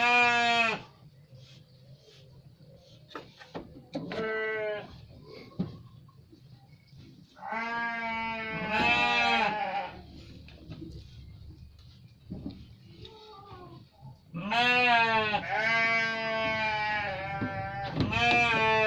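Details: Garut sheep bleating: loud, harmonic-rich bleats near the start, around eight seconds and from fourteen seconds on, with quieter gaps holding faint knocks and rustling.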